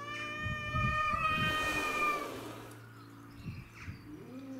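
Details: Territorial fight between domestic shorthair cats Tom, Mimi and a grey-and-white stray. A rising, strained yowl breaks into rough scuffling and thumping, then brief softer cries follow.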